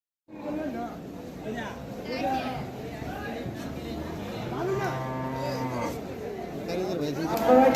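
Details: Native cattle at the Aruail cattle market low and drawn out amid constant crowd chatter and talking, one deep harmonic moo standing out near the middle of the clip.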